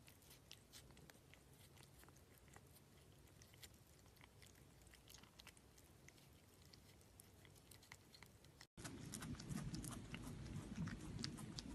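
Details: Cat eating its food indoors, from a Lunch With Lily compilation: quick, crunchy chewing with sharp clicks at about four per second over a low hum, growing louder after a brief cut near the end.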